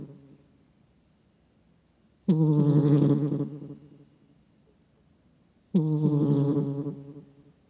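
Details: Close microphone recording of a dozing cat's snore, gruff like an old man's: a faint fading breath at the start, then two raspy, nasal low rumbles about 3.5 seconds apart, each lasting over a second before dying away.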